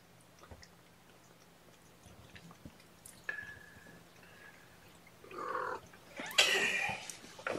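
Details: Hungry kittens at a morning formula feeding, 8 May 2018, indoors: quiet rustling, a brief thin tone, then two louder, rougher meows near the end amid handling noise and a low background hum.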